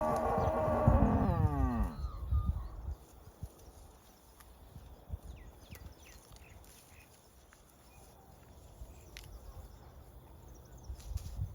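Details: Cattle grazing together in a herd, one cow giving a loud, rich moo that slides downward over about two seconds, then quiet low rustling and munching of grazing with faint distant bird chirps.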